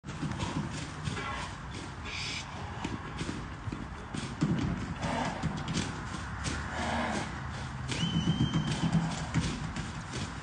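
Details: Arabian stallion Enaaq Al Thaqeb SE, filmed in 2021, moving with dull low thudding hoofbeats in an uneven, quick rhythm over a steady background rumble. Occasional human voices are heard, with a thin whistled tone late on.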